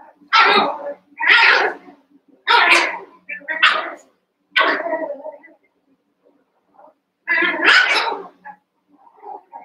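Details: Cavalier King Charles Spaniel puppies, one month old, eight together in an indoor pen, wrestling and playing; a run of loud, rough barks in quick bursts, about one per second, with a pause midway before two more.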